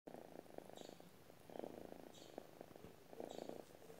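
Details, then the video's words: Domestic cat purring while asleep: a soft, low rumbling purr that swells in breathing cycles about every one and a half seconds, quiet and steady throughout. "cat sleeping with burr sound"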